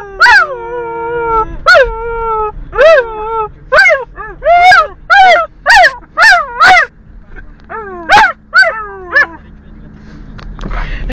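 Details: A Border Collie singing: a run of about a dozen yelping, wavering howls with rich harmonics, each rising then sliding down, some long and some clipped short, repeated irregularly with short gaps between them.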